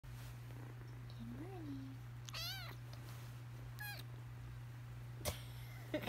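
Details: Siamese kitten yawning hard, giving a short rising-falling squeak then two brief harmonic-rich squeals a second apart, over a steady low electrical hum with a few clicks.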